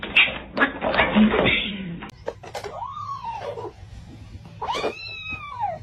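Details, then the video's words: House cat in a funny-cat compilation gives two clear arching meows, each rising then falling, a second or so apart, after a burst of rustling and clattering noise, with faint talking in the background. "kitten meowing"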